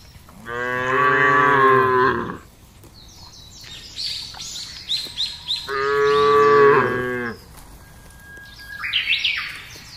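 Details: Large herd of cattle driven across a wide grassy pasture: two long, loud harmonic moos of about two seconds each, with a few chirps from small birds in between.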